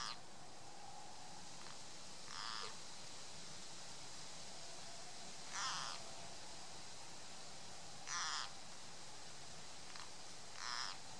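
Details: Distress call of a green frog caught by a grass snake: four or five short, rasping cries at uneven intervals of two to three seconds, with a constant hissing background.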